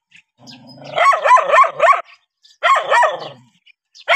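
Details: Dog reacting to a stranger, barking in quick bursts of four or five sharp harmonic barks about a quarter second apart, then a pause and another short run; a faint low rumble underneath.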